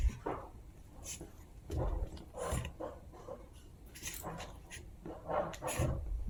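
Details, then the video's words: Two Chihuahua puppies at playtime make short, scattered yips and growly bursts of varying loudness, spaced irregularly across the recording, with soft thumps and rustling between calls. "Funny Sounds of Chihuahua Puppies Playtime"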